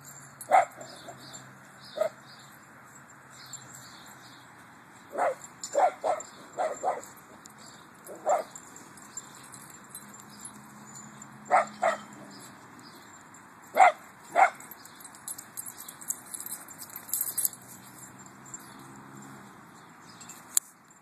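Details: Two Italian Greyhounds at the Sepulveda Basin off-leash dog park in Encino, a shaded small-dog area, give sharp, high barks, singly and in quick clusters of two or three.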